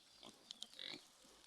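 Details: Domestic sow, newly farrowed on a rural farm. There are two sharp clicks, then a brief, thin, high-pitched squeal lasting about a fifth of a second, over quiet background hiss.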